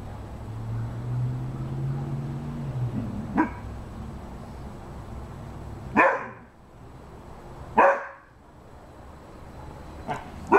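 A Rhodesian Ridgeback gives a low rumbling whine, then single deep barks spaced a few seconds apart.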